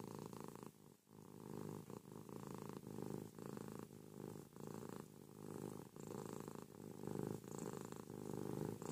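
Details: Ruby, a pet cat, snuggling with her owner in bed in the morning, purrs noisily: a continuous rumbling purr in long phrases, each lasting about a second with brief breaks between breaths.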